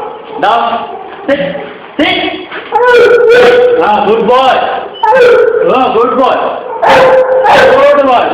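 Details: Great Dane pup, three months old, calling in a mix of clipped yips and drawn-out whining barks. Steady mid-pitched tones are held for about half a second, and the barks crowd close together in restless runs.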